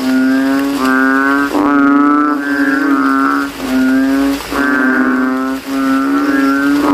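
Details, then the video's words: Kodok kintel, the banded bullfrog, calls loudly at night after rain in a cemetery puddle as frogs try to out-sound each other. Repeated deep, vibrating, bleat-like notes lasting about a second overlap almost continuously. "GENANGAN AIR MENJADI AJANG LOMBA KODOK INI BERTARUNG SUARA KERAS"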